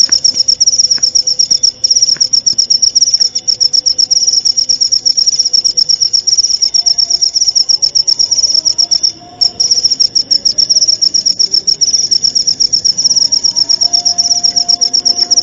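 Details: Cricket recorded as tutor material for white-rumped shamas (murai batu), meant to be played every night and at dewfall. A shrill, rapidly pulsing trill runs almost unbroken, with one brief dropout near nine seconds and faint low tonal hums beneath.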